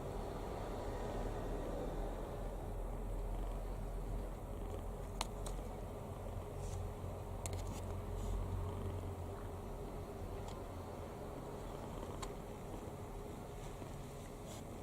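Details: Kitten sleeping soundly and deeply relaxed, mouth open, snoring: a soft, low rumbling breath noise sits under a steady low hum throughout, with a few faint sharp clicks near the middle.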